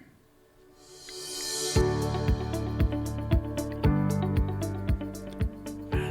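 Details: Only soft, steady instrumental music with a regular beat; no animal voice. Sustained low tones run under evenly spaced percussive hits, with no calls or other animal sounds.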